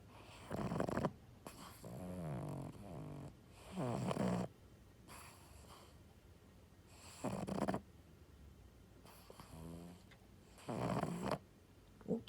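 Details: Bob, a pet pug, asleep and snoring: rough, low breathy snores in bursts of about half a second to a second, roughly every two to three seconds, with quiet pauses between.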